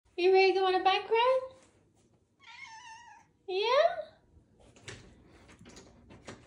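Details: Ragdoll cat wearing a harness, readied for a bike ride in autumn weather, gives three loud meows: a long wavering one, a shorter softer one, then a sharply rising one, followed by rustling and a person talking.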